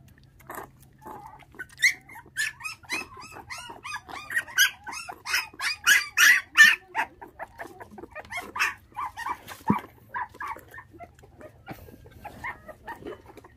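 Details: Five puppies left without their mother at six days old after dog thieves stole her, being raised on bottled milk; quick bursts of high whining yelps build to a loud run midway, then thin to sparse squeaks.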